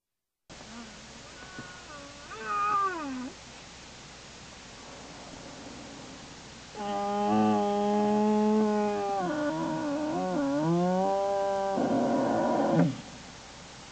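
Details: American black bear heard inside Lily's den on January 27, 2012, fussing: a few faint, wavering cries, then a long run of loud, harmonic, wailing moans with bending pitch lasting several seconds.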